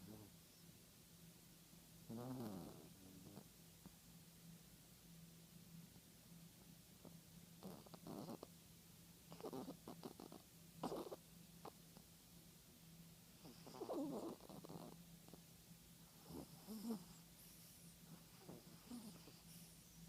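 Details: Sleeping Yorkshire Terrier with snuffly, rattling snores and clusters of quick clicking breaths spread irregularly across the recording, and a faint constant hum beneath.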